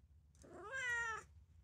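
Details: Calico cat Mimi, a three-year-old female that is only now growing used to her keeper, gives one rising-then-level harmonic meow of about 0.8 seconds in a quiet indoor room with a low hum beneath.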